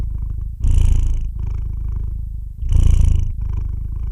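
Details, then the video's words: Close, deep rumbling purr from a cat, two strong breathy swells about two seconds apart over a constant low vibration; quiet room, nothing else audible. "the sound of a cat's roar"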